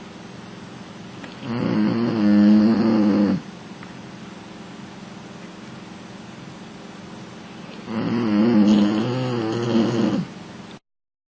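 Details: Sleeping female American Bully snoring on the lounge: two rough, rumbling snore breaths about six seconds apart, each lasting around two seconds, with quiet room hush in between.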